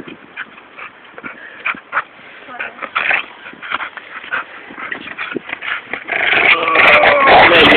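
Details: Zeuce, an old Staffordshire Bull Terrier crossed with a Pit Bull, lets out a quick run of short, sharp barks, several each second, with human voices close by and a loud rushing noise that swells over the final two seconds.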